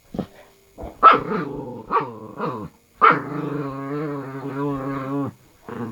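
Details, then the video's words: A pet dog, one of a pair called Noraengi and Bori, making odd vocal noises: short wavering growl-barks, then a sustained two-second warbling moan with wobbling pitch, ending in a brief final grumble. "이상한 소리를 내는 강아지"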